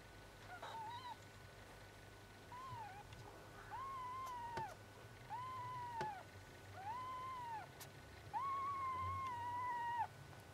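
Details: Four-day-old kittens (Phoebe), recorded 12 September 2009, give a series of five thin, arched mews, each rising then falling, spaced about one and a half seconds apart over a low steady hum.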